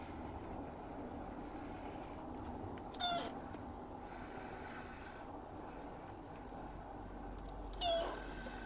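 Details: Young Siamese cat, filmed in 2017, gives two short meows about five seconds apart over a steady low indoor hum.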